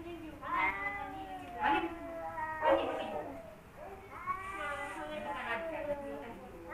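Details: Quieter standoff between rival male cats Kaopat and Ronja: separate wavering yowls, each a few seconds apart, some sliding downward, with low murmuring growls between them.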